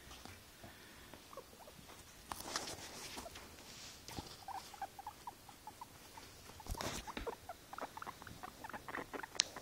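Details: Pet guinea pig described as tired, giving soft, short mid-pitched squeaks scattered through the recording, mixed with rustling, scratchy clicks and shuffling movement noises.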